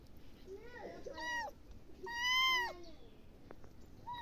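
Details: House cat meowing close by, a shorter meow followed by a loud, long, rising-then-falling one, with a low voice-like murmur near the start.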